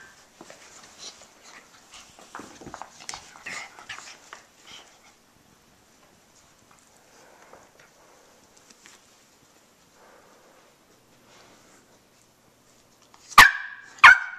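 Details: Khloe, a 1-year-old female Jack Russell Terrier × Shih Tzu mix, gives two sharp, loud barks after a stretch of soft shuffling and whines; another rescued small dog and a puppy are also present.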